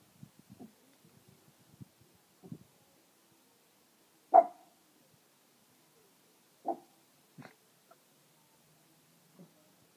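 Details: Pug named Roxy, agitated in the heat of the day, barking at the neighbours: a few sharp single barks spaced seconds apart, with soft snuffling and small grunting sounds in between, in an otherwise quiet setting.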